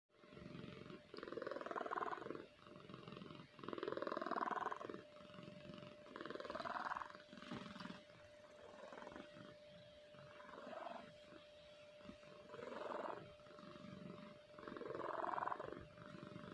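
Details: Kahfi, a pet cat sound asleep, snoring for a long time: soft rasping breaths rise and fall in slow cycles about every two to three seconds, over a steady low electrical hum.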